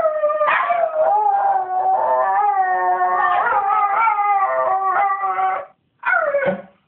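A Miniature Schnauzer howls in a sustained, warbling voice that rises and falls, breaking into yips before a final drawn-out note. This singing serves to get its owner up in the early morning.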